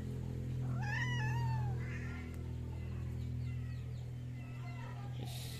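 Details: Large-bodied Angora cat giving one drawn-out meow that rises and then slowly falls, with clear harmonics, lasting about a second. A steady low electrical hum runs underneath throughout, with faint rustling afterwards.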